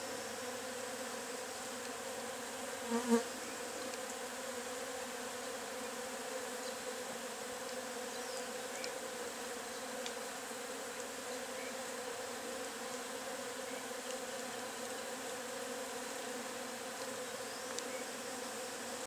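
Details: Agelaia multipicta wasps, known locally as marimbondo carniceiro, at their nest: a steady, dense buzzing drone holds throughout, even in loudness, with one brief click near the three-second mark.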